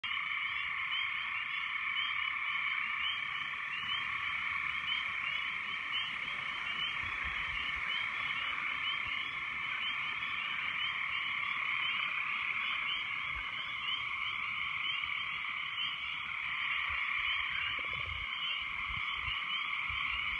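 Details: Very loud frogs calling after heavy rains: a dense, unbroken chorus of many overlapping croaking voices, layered in two shrill bands with a faint ticking above, steady throughout with no pauses.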